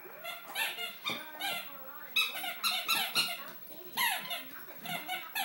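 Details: Female Great Dane puppy of 8 or 9 weeks, just brought home, whining indoors with a run of high, piercing squeaks and rising-falling yelps repeated through the recording in a small room.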